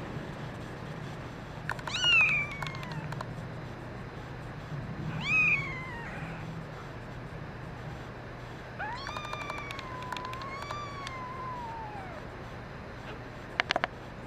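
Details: Meows from kittens, including a red mackerel tabby male: two short arched cries about three seconds apart, then a long wavering meow rising and falling over three seconds, with light clicking noises and a low hum.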